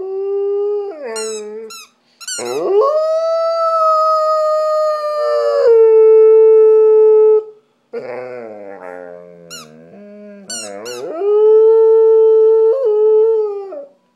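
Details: Female pet dog howling along with her squeaky toy indoors, said to love singing like the rest of her family; long sustained steady howls with a few rising and falling wavers, broken by brief high toy squeaks near the start and middle.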